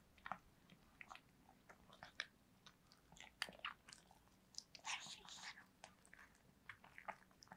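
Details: Pet dog Yulman eating cake, recorded close up as real-sound ASMR indoors; irregular sharp smacks, licks and crunchy bites scattered throughout, with a denser flurry of chewing around the middle, against a quiet room background.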